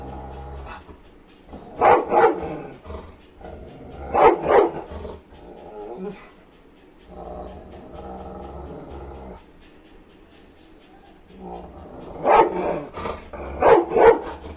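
A Rottweiler gives deep, gruff barks in loud bursts, separated by quieter growly stretches.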